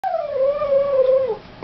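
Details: A smart, cheeky three-year-old Boston Terrier "sings," giving a sustained tonal howl that starts higher, settles, and drops away at the end.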